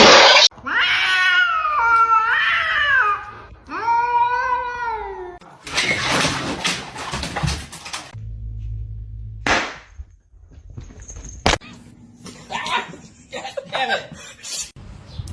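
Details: Kitten meowing indoors: two long, drawn-out, wavering meows that rise and fall over the first five seconds, followed by bursts of rustling and clattering noise and a few fainter, shorter mews near the end.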